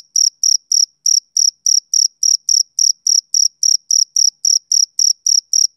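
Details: A male cricket calls on a summer evening, giving evenly spaced, shrill chirps about every quarter second, each a tight buzzy burst, nothing else audible.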